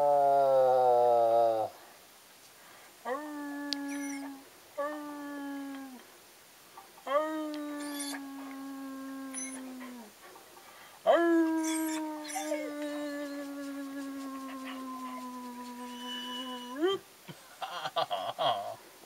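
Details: Ben, Ludo and Tina, three pet dogs, howl together in a repeated series of sustained, slightly falling wails, each lasting one to six seconds with short pauses between, ending in scattered thuds and rustling.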